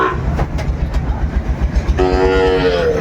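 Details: Sahiwal bull at a cattle market in Brahmanbaria, 31 May 2024: after noisy market bustle, a level, tonal moo begins halfway through and holds for about a second.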